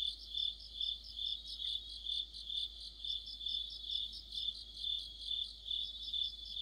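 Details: Crickets singing with other insects in the autumn night chorus. Continuous high chirping pulses over a constant ringing tone, swelling in loudness at a steady pace of about two per second.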